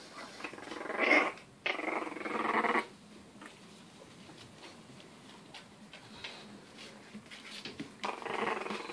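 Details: English bulldog puppies, in-home pets in lower Western Michigan, give rough, breathy growls in short bursts while a person nearby remarks on the rough play.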